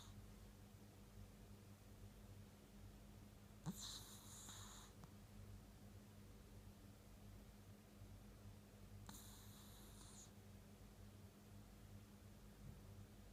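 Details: Chihuahua named Choco sleeping comfortably beside a kotatsu in the daytime, snoring: two breathy, wheezy snores with a whistling edge, each lasting about a second and spaced roughly five seconds apart, over a steady low indoor hum.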